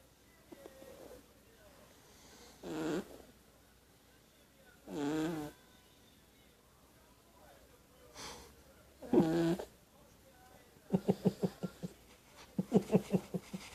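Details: Snoring kitten asleep indoors: four long, raspy snores spaced roughly two seconds apart, followed by two quick runs of rapid, stuttering pulsed snorts near the end.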